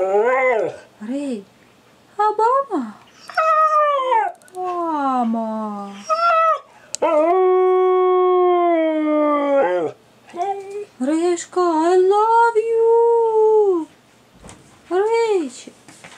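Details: A 13-month-old Siberian Husky, encouraged by its owner, sings in long, wavering, rising and falling howls, November 2014.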